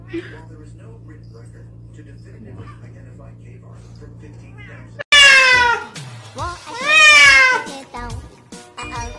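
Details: Kittens in a compilation of cute pet moments: after a quiet stretch with a low steady hum, loud high-pitched meows ring out, each rising and then falling with a bright harmonic quality. A second long meow follows, and faint background music plays.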